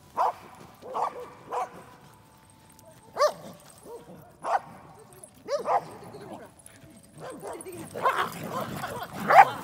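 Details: Four Pembroke Welsh Corgis playing at a dog run give sharp, mid-pitched, yappy barks singly and in quick pairs, irregularly spaced, growing busier and overlapping with background voices and bustle toward the end.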